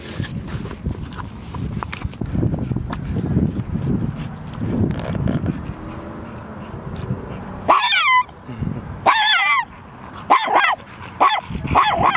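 A dog gives a run of short, sharp, high-pitched barks after a stretch of rumbling background noise.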